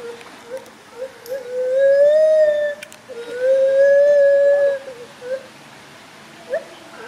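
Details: Climbing gibbons swinging between branches call in two sustained, smooth, pure-toned notes that swell and rise gently, with scattered short yelps in between and at the end.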